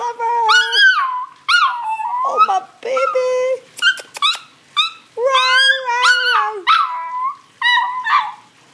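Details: Singing chihuahua giving a string of wavering howls and short yelps, some notes held steady and others bending up and down, with brief gaps and a human voice faintly in the background.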